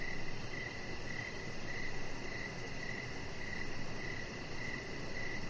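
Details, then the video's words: Crickets chirp outdoors in the evening by a deck, a chihuahua puppy nearby: about ten brief, even chirps spaced around half a second apart, with steady low hum and faint high ticking behind. "Cricket Sounds"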